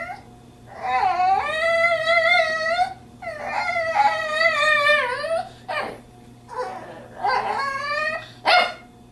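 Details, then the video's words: Bandit, a female pet dog visiting a friend's place, vocalizes to her owner that she wants to go home: long wavering whines and yowls with rich harmonics, rising and bending like human talk, in several bursts with short yips between. "Bandit makes noises like a person letting me know she wants to go home!!!"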